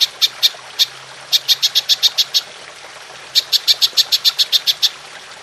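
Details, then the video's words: Golden grasshopper in the long 'nembak' style, recorded as training material for songbirds: two bursts of fast, dry, high-pitched ticks, each sharply pulsed, separated by a pause of about a second. "Belalang Emas Nembak Panjang"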